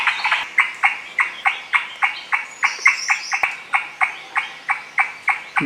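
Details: High in the tall trees of a Maharashtra forest, an Indian (Malabar) giant squirrel, or shekru, gives its distinctive loud, harsh chatter of clipped notes, about three or four each second.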